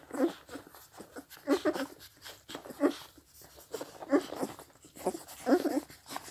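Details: Scottish Deerhound puppies, 16 days old, suckling milk from their mother; bursts of slurping and smacking under a minute apart, roughly 45 per minute, with small squeaky grunts and quiet background noise.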